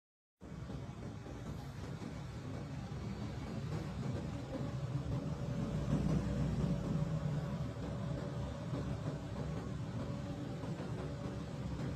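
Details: A steady low vehicle engine rumble fills the recording, with no animal voice.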